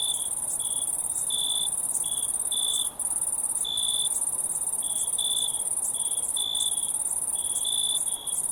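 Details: Crickets in a relaxing nature scene: a steady, very high shrill trill runs throughout, overlaid by a lower chirping voice in short bursts of about half a second, coming at irregular intervals.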